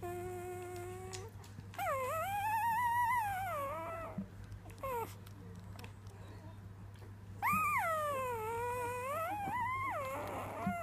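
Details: A three-day-old newborn female Weimaraner puppy having her first sing song: two long wavering howls, each rising then arching down over about two seconds, separated by short squeaks and soft whimpers, over a steady low indoor hum.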